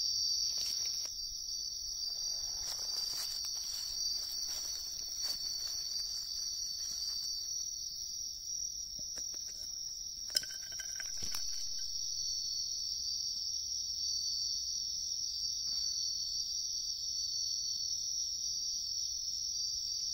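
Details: Continuous high, ringing insect trill from wild bell crickets in riverbank woods, recorded while people searched for them. Handling clicks and rustles come early, and a brief thump sounds near the middle.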